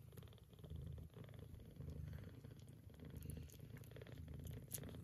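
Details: A mother Scottish cat purrs steadily while nursing her straight- and lop-eared kittens, a low rumbling hum pulsing in and out with each breath.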